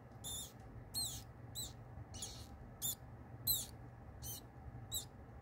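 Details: Pinky mouse, a hairless newborn, caught by a kingsnake at live feeding, squeaking in high sharp bursts about twice a second, each squeak bending in pitch, against a low constant hum.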